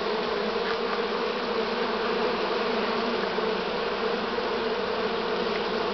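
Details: A year's swarm of honey bees on 6 September 2019 in Romania, late in the season; unbroken mass buzzing with a pronounced humming band, even and continuous.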